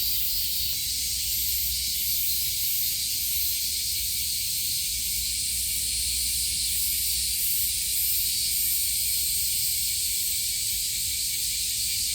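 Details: Cicadas in summer at Kasai Rinkai Park, Tokyo: a steady, dense, hissing drone high in pitch that holds unbroken for the whole stretch, with faint low rumble beneath.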